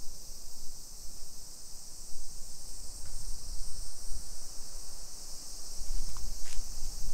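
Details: Cicadas in summer along a modern hillside suburb of Nisshin, near Nagoya, Japan, early afternoon, 28 July 2021: continuous shrill buzzing drone over low rumbling from walking and wind, with a couple of brief sharp clicks.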